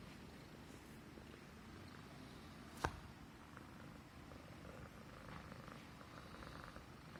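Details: Contented purr of a Persian Himalayan domestic cat stroked along its neck: a steady low vibrating rumble, interrupted once by a sharp click just before three seconds.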